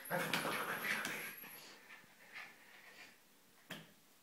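A Shiba Inu puppy gives a burst of high, wavering whimpers and yelps, then a few faint whines.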